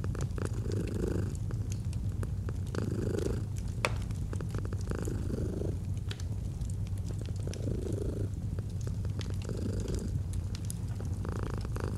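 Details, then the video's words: Domestic cat in gentle, steady purring alongside a fireplace, autumn ambience: deep droning rumble with slower breath swells every two to three seconds, plus sparse crackles and one louder pop from the fire. "Fall asleep to the Purring of a Cat & Fireplace"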